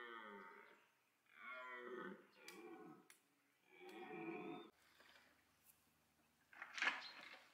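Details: Autumn red deer rut at Parc Sainte-Croix, with stags calling loudly to attract females; a run of four grating roars in quick succession, followed by quieter rustling and a sharp noise near the end.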